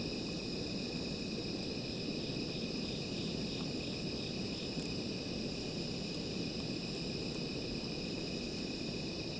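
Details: A small fire burns at night as insects trill steadily in high, slightly pulsing bands, partly masked by the strong low crackle of the flames.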